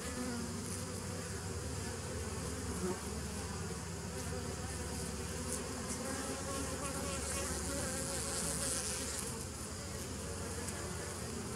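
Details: Bees recorded on 27 September 2018: a dense, steady buzzing hum with low droning bands and a broad hiss spread across the higher range, holding an even loudness throughout with no other distinct sounds.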